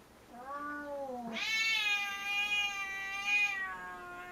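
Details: Indoor cat Puchi, angered at having play interrupted while staring down Kuma: a short low moaning cry slides up into a loud, sustained, piercing yowl that wavers slightly before fading.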